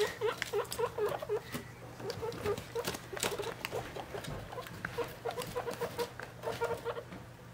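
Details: Three-week-old baby guinea pigs beside their mother, at weighing time: a steady series of short, low chirping notes repeats rhythmically throughout, mixed with light patter and a constant low hum.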